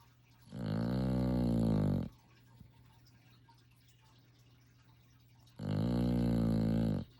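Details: Sleeping puppy snoring indoors: two long, droning, buzzy snores, each about one and a half seconds with a rich stack of low harmonics, separated by roughly three and a half seconds of quiet breathing and faint hum.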